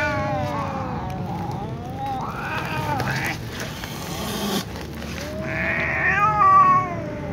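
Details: Two ginger cats, one lying down exhausted and a newly returned one, meowing together; several drawn-out, wavering harmonic meows with rising and falling contours, the last one higher and more strained, over a steady low background hum.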